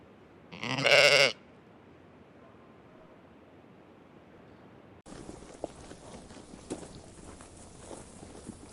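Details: Sheep eating grass in a meadow gives one loud, harsh, strained bleat of under a second. A quiet pause follows, then an abrupt change to steady rustling and munching noise.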